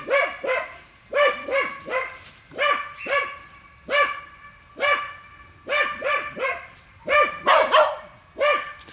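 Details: In a boar training pen, dogs bay at wild boar with rapid, ringing barks in pairs and triplets, nearly continuous, one rougher bark burst near the end.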